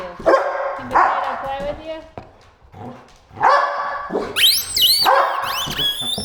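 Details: Three pit bulls and a Malinois playing with squeaky toys: several short, rough barks in quick irregular bursts, mixed with sharp, sliding high squeaks and a person talking.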